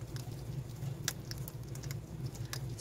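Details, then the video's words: Hedgehogs three to four weeks old at feeding time, kept in a pet shop in Siheung, South Korea. Crisp, irregular crunching clicks and scratchy taps scatter through the moment over a steady low hum. "고슴도치 먹방"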